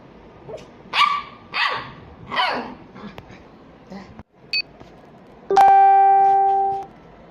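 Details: Small dogs barking during play, three loud rough barks in quick succession, a few clicks, then a sustained musical tone closing the recording.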